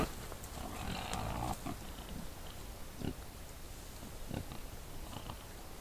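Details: Wild boar at night in a hollow, caught on a trail camera: a longer, harsh rasping grunt in the first second and a half, then scattered short, low snorts and grunts over a steady background hiss.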